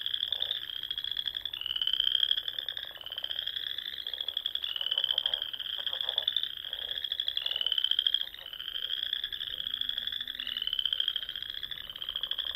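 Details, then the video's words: Dusk chorus of frogs in spring, Sandhills of Nebraska near ponds: rapid rising trills repeat roughly every one to two seconds, layered over lower pulsing croaks, with the chorus steady throughout. "RELAXING SOUNDS OF FROGS"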